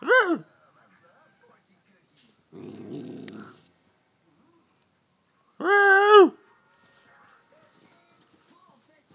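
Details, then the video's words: Female Siberian Husky grunting during a conversation with her owner: two short, arched, harmonic yowls several seconds apart, with a low rumbling noise between them. "Talking With My Siberian Husky"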